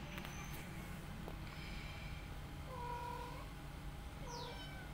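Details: Rescued mother cat with her own kittens and an adopted kitten she cares for; a soft, drawn-out mew rises out of a steady low hum midway, then a short high falling squeak near the end.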